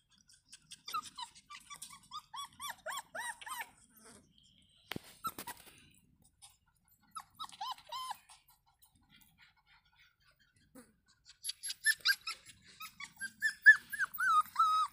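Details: A litter of five 35-day-old Rottweiler puppies (3 male, 2 female) whimper and yelp in high, wavering squeals that come in bursts; Rottweiler.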